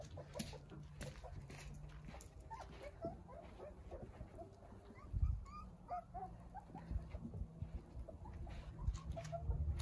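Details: Nine Jindo puppies in a large front-yard playpen built for sunbathing give many short, high thin whimpers and squeaks, scattered and overlapping, over low rumbling handling noise and rustling.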